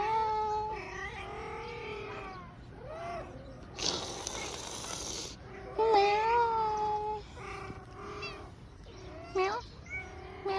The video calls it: Siamese Cat Go Meow